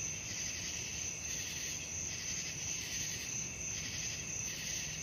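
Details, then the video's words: Crickets at night in a soothing sleep recording: constant shrill ringing trill with a slower pulsing layer beneath, rising and falling in soft waves over a quiet low rumble. "suara jangkrik malam"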